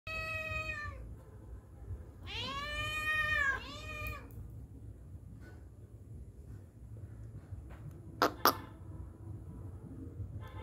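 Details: Kittens being fed by their father cat at mealtime; loud harmonic meows, one short then a longer double meow with falling pitch, followed by quiet rustling and a couple of sharp clicks.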